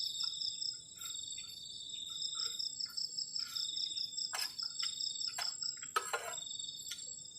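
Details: High, rapidly pulsed cricket trills on a cold night at a garden campsite shelter, ringing steadily while several sharp clicks and knocks from camp handling cut through.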